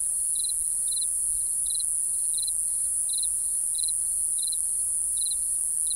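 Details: Night crickets: clipped, high trilled chirps repeat evenly, about nine in all, beneath a steady intense high hiss from surrounding insects.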